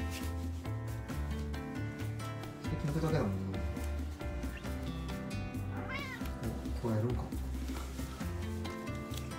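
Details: Maine Coon cat gives a few arching meows over steady background music, greeting its owner arriving home; a second cat is also present.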